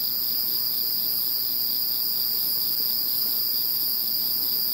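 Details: Post-typhoon night insects, after Typhoon No. 21, sing a continuous shrill trilling chorus, several steady high bands with light pulsation and no gaps.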